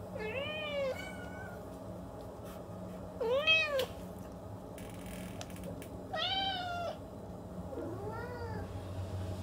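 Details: Domestic cat giving four drawn-out meows roughly three seconds apart, each arching up and sliding down, over a quiet indoor background with a steady low hum.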